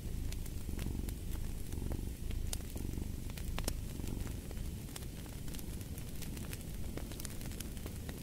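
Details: A cat purrs low and steady beside a fireplace, the rumble swelling and easing with each breath while sharp crackles and pops from the fire scatter throughout.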